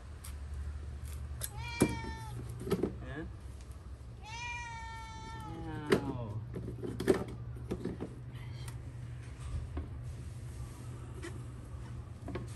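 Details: Pet house cat watching its owner wash the cats' litter boxes during year-end cleaning, neither helping nor interfering: two drawn-out, clearly pitched meows that rise then fall, the second longer, over a steady low hum with soft knocks and clatter.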